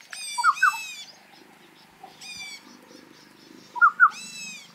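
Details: Territorial fight between barking deer in the Himalaya, the loser running off: three drawn-out, strongly harmonic barks separated by pauses, each paired with a low, quick two-note call over a faint rustling background.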